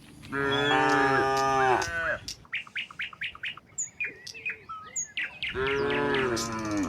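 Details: Dozens of docile cattle heading from the barn onto a broad green field, calling in turn: a long, rich moo, then a run of rapid bird chirps, then another drawn-out moo at the end.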